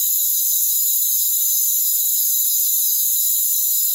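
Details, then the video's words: Rainforest crickets calling in unison, an even, high, sizzling chorus of continuous trilled tones that stays at one level throughout. "Rainforest Crickets"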